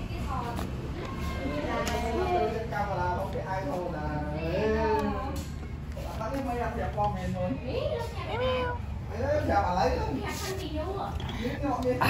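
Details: Two kittens playing outside, giving repeated short rising-falling meows and mews, several in quick succession, over steady low background rumble and occasional speech.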